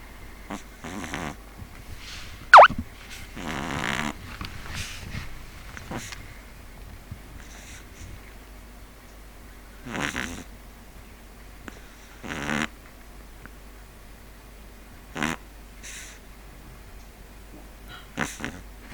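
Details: Neal the Pug dozing, with scattered short snorts and rasping breaths at irregular intervals, one longer rattling snore near the start, otherwise quiet room.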